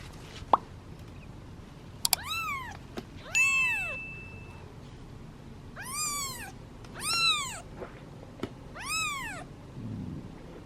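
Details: Hungry kittens, part of a litter of seven, meowing impatiently in a basket while waiting their turn at feeding time; high arched meows repeated about every one to two seconds, with small clicks and plops between calls.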